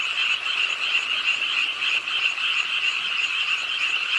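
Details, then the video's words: Short stretch of a nighttime frog chorus at a pond in Ingye Art Park, Suwon, Korea, in the rain; quick pulsing croaks from numerous frogs overlap into a constant, slightly throbbing trill. "비오는 밤 개구리소리, Do you hear the frogs?"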